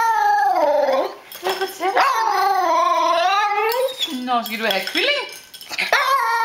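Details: Indoor female Tibetan Terrier 'sings' that she wants food, giving sustained, quavering howls that rise and fall in pitch, with a brief dip and some mumbling between phrases, and Danish speech in the room.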